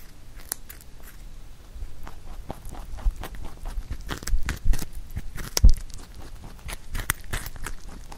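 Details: Indoors, pet rabbit Huchu bites into a carrot songpyeon made for Chuseok; irregular crisp crunches and clicks, some louder bursts, with soft handling thumps between.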